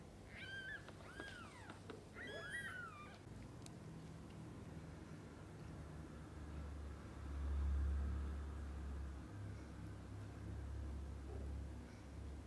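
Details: Domestic cats, mother cats with their kittens, from birth to eye-opening: a burst of high, thin, wavering mews in the first three seconds, then only a low steady hum.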